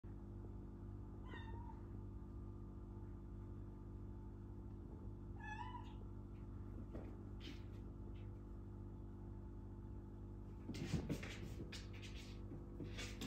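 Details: Four-month-old kitten at play: two short, high, quick meows a few seconds apart, followed by soft rustling and scuffling over a low steady background hum.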